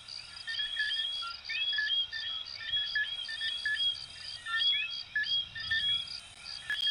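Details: Coquí frogs of Venezuela and Puerto Rico calling together. Clipped whistles and upward-sweeping notes overlap in waves of loudness, backed by an even, high, rhythmic chirping throughout.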